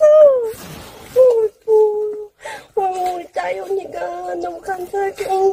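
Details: Puppy greeting a person it loves as much as treats, indoors in a small room: drawn-out tonal whines that dip and waver, then a run of short repeated whimpering notes, with a woman's voice between them.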